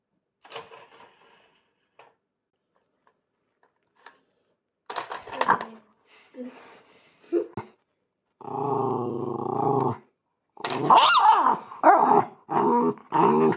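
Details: Miniature Schnauzer named Mofu, a pet dog at home, vocalizing loudly while eager to join a family board game; short growly bursts and sustained harmonic howl-like notes indoors, with human voices in between.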